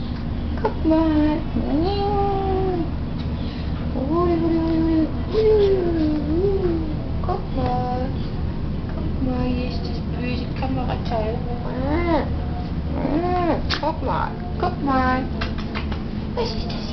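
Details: A long-haired Chihuahua puppy about 6 months old gives a run of tonal, wavering whines and yowls that slide up and down in pitch, like strange chatter, with a faint person's voice and low hum.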